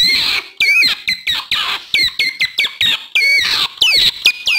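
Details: Otter calling used to draw in wild otters: looping, whistled squeals that bend down and up in pitch, repeated about once or twice a second, mixed with harsher chirps.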